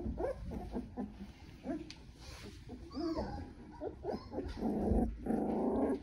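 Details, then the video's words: Young Doodle puppies, 10-7-2020: a busy run of brief squeaky whimpers and little yips tumbling quickly one after another, ending in a louder broad rustling noise. "McKenzie's Doodles Puppy Video 10-7-2020 - Rose & Haggard"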